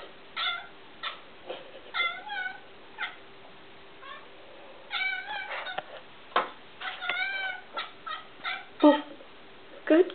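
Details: Penny, a pet cat indoors, chirps in agitation at a tiny bug on the wall: short, bird-like harmonic chirps and brief meows in loose bursts, a steady faint background hum, and a woman's voice and music heard nearby.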